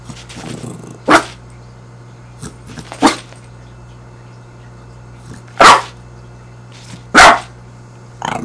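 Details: Fidget, a six-month-old dog bothered by being stared at, lets out scattered loud barks, four strong ones at uneven gaps with softer low rumbles between, over a faint steady indoor hum.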